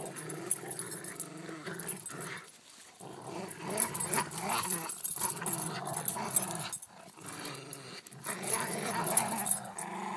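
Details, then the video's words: A Corgi and a Rottweiler play fighting indoors produce rough, throaty growls in long rolling stretches, broken by brief pauses near three and seven seconds, with scuffling and panting-like noise throughout. "Corgi battles Rottweiler"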